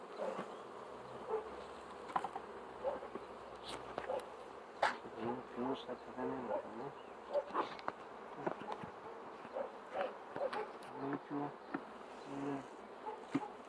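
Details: Bees droning in a continuous low buzz, with short louder swells and scattered clicks and knocks from handling throughout.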